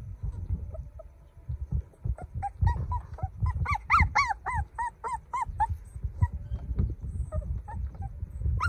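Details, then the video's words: Golden puppy crying: a series of high, thin, tonal whines, each rising and then falling, repeated about twice a second in a busy burst before trailing off into scattered single whimpers over low rumbling handling noise. "Sound Puppy Cry"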